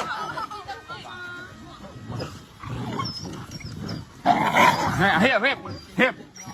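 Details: Several curious dogs react to a flying drone overhead, barking and running around in excitement and confusion; a burst of loud, harmonic yelping barks comes in quick succession mid-way, mixed with people talking throughout.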